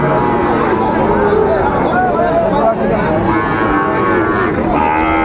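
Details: Sahiwal cattle, bull calves at a busy cattle market in Bangladesh where a Kushtia farmer is buying, 13 February 2025: drawn-out, wavering low moos rise and fall under constant crowd talk and bargaining voices.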